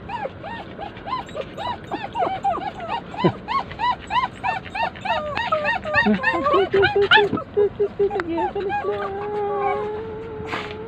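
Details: Poodles whining while their owner is away: rapid, repeated high yelping whimpers, nearly two per second, rising and falling in pitch, ending in a longer drawn-out whine.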